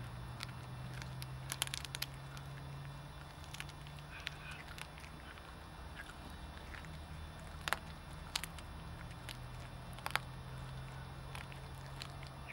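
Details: Bengal cat Bagheera eating a whole chicken drumstick for breakfast, cracking the bones. Sharp, irregular crunches and snaps come in bursts near the start, around seven to eight seconds and again near ten seconds, over a steady low hum.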